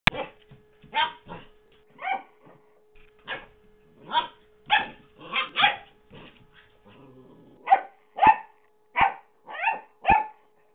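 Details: Henry as a young puppy in 2009, playing with his favourite squeaky toy, Mr. Squeaky: about a dozen sharp, high yapping barks in uneven bursts, some in quick pairs, over a faint steady hum.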